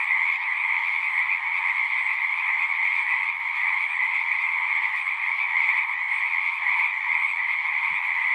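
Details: Singing frogs form a thick continuous chorus of high trilling, uniform and unbroken throughout, with one brief soft low knock near the end.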